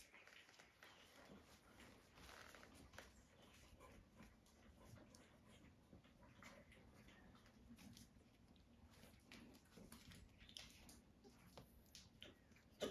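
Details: Puppies snuggling up to nurse indoors on a regenerative farm in County Kilkenny, Ireland, give soft, thin whimpers and brief squeaks scattered through a steady shuffle of suckling and rustling, with no other animals heard.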